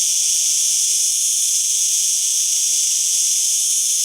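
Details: Cicada singing: a steady, unbroken high-pitched hiss-like buzz, constant in loudness throughout, with no other sounds.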